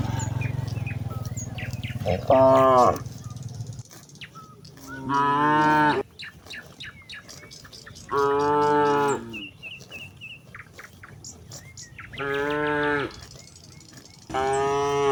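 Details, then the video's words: Hundreds of cattle grazing in a wide rice field as evening falls, one cow calling its companions to go home; five loud harmonic moos spaced about three seconds apart, with birds chirping and tweeting throughout. "suara sapi meladang memanggil kawannya pulang"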